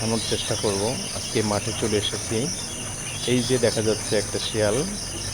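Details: Night chorus of jackals, many voices giving quavering, arching howls that rise and drop, some yipping, in bursts throughout, with a steady high-pitched insect drone behind.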